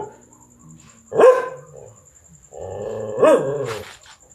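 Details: Dog barking at a big black stray cat that wants to mate: two sharp, loud barks about two seconds apart, each rising then dropping, with a lower droning, wavering sound between them and a faint steady high whine throughout.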